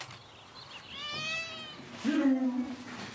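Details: Domestic cats inside a hoarder's house as a neighbour opens the door: a thin, high meow with stacked overtones, followed by a louder, lower, drawn-out voice and faint room noise.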